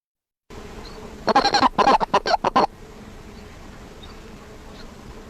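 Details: A Sonoran Desert Toad (Incilius alvarius) gives a quick burst of harsh, chirping pulses: its release call, given when the toad is picked up or when a male grabs another male.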